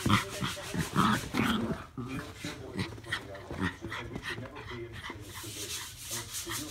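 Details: Norfolk Terriers Ernie and Hank practising wrestling moves together, giving fast, breathy, panting snarls and throaty grumbles in quick uneven runs over steady rubbing and scuffling noise.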